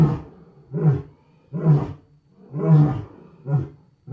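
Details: Wild lions roar loudly in deep, grunting roars in a rhythmic series, roughly one every three-quarters of a second.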